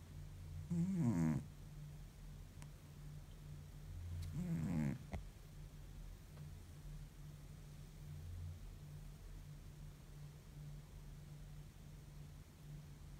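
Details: Deeply sleeping pet cat, worn out after a tiring week, lets out two gravelly snores a few seconds apart, then long quiet stretches of soft breathing and room hum.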